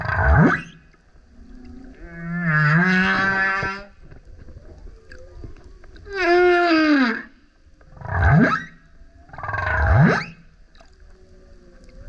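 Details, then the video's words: Loud song of a male humpback whale coming up repeatedly next to a kayak, mixing low upsweeping grunts with long harmonic howls and a descending moan, units spaced by brief gaps. "Singing Whale is LOUD - BURPS, GRUNTS, HOWLS + ROARS! Listen as he comes up singing next to kayak"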